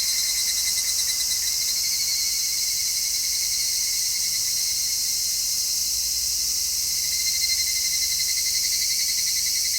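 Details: Cicadas in high summer, captured in stereo on an MKH-416 microphone, keep up an unbroken, shimmering high-pitched drone with a faint pulsing band below it, steady throughout.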